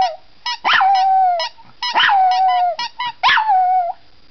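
A Chihuahua howls in drawn-out, wavering tones, with sharp squeaks from a toy between the notes.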